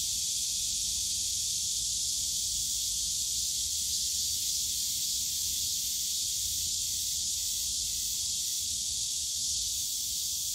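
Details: Cicadas in the bamboo grove of Yongsan Family Park on a summer day: a steady, dense, high-pitched buzzing drone that holds unbroken from start to finish, with only faint low park rumble underneath.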